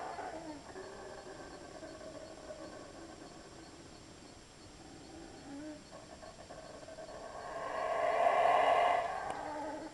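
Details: Monkeys passing through the jungle at Belmopan, Belize, in 2006 give low, drawn-out tonal calls that swell into a louder, rougher outburst near the end.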